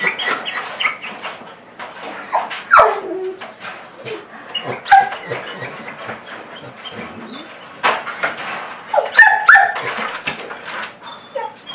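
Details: Wilson, a Portuguese Water Dog, squeaks like a squeaky toy in excited bursts, a mix of bark, whine and panting at once, greeting his owner just arrived home.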